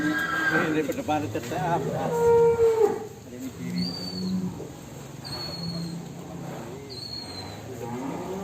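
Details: Fat cow, described as raging while leaving its pen, gives a long low moo in the first three seconds, with people talking and a few thin high squeaks afterward.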